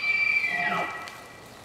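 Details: Rutting bull elk in a west yard, where he also rakes grass with his antlers, holding a shrill sustained whistle that slides downward into a lower wavering tone and fades away.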